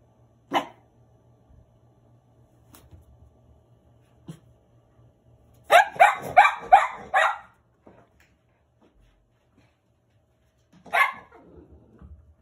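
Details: Cavalier King Charles Spaniel puppies, named Hamu-chan, Milk and Kahlua, giving a single sharp bark, then a quick burst of about five yappy barks, and one more bark near the end, with quiet gaps between.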